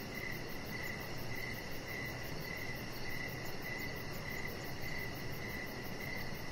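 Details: Evening crickets outside on a deck give a bright, high chirp every half second or so, about a dozen evenly spaced pulses, with a low, smooth ambient hum beneath.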